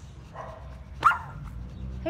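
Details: Single sharp Chihuahua yip from a row of eighteen pet Chihuahuas in a garden in Bangkok, Thailand, on May 5, with a soft human voice before it and low background hum.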